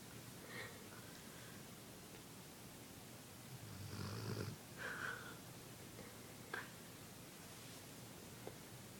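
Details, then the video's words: Kip, a sleeping dog, snoring indoors: a soft low rumbling snore near the middle, with faint breathy snorts and a sharp click, over steady room hiss. "Cute Dog Snores While Sleeping"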